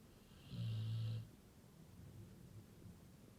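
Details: One loud, deep snore from a Labrador Retriever, a steady low rumble lasting under a second with a soft hiss above it, followed by quiet, gentle breathing.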